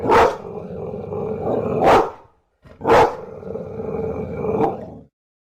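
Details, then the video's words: Two heavy barks from a bulldog, each rolling into a long harsh growl lasting over a second, with a brief silence between the pair. "Tunog ng BULLDOG | Sound of BULLDOG"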